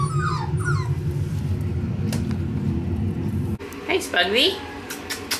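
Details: Indoors with Winter and Dash's five-week-old male Pomsky pups: brief falling whimpers at the start over a low rumbling hum, which then drops away before a few more soft, squeaky whimpers near the end.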